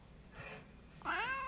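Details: Domestic cat giving one clear, drawn-out meow that bends upward and then slides down, after a faint, breathy murmur in a quiet room.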